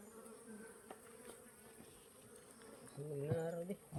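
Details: Honey bee buzzing: a faint, steady low hum that swells in the last second into a louder, richer drone as the insect passes close. Faint background noise.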